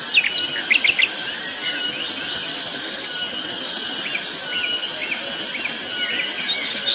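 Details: A dense, high shrill buzz from cicadas on Mount Pabangbon surges rhythmically in regular waves. A few faint bird chirps appear early and then in the middle.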